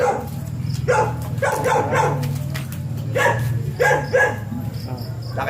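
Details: Siberian Huskies at a stud session, dam and sire both mating for the first time; short harmonic yelps and whines come in separate bursts about every second, over a steady low mechanical hum.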